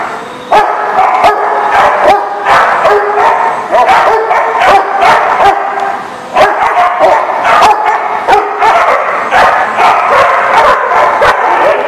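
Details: Dogs barking, recorded July 22, 2019; loud, rapid, sharp barks repeated many times a second throughout, some overlapping, with no other clear sounds.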